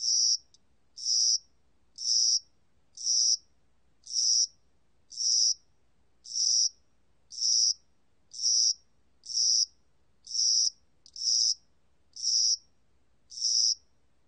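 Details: Cricket heard in Korean spring and summer, fourteen short shrill buzzing chirps at an even pace of about one per second, nothing else audible.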